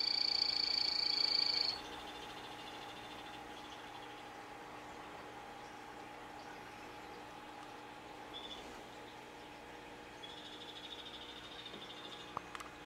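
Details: A captive male phantasmal poison frog, 'Morospunga' locality form, gives a high, buzzy pulsed trill for under two seconds. A long quiet stretch with steady low hum follows, then a fainter, slightly lower buzzing trill near the end.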